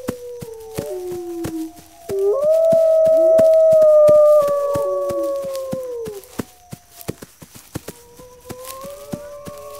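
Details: Wolves howl as a pack alert to gather against attack: a low falling howl, then a louder drawn-out tone with a second voice sliding beneath, and a new rising howl near the end, with regular clicks.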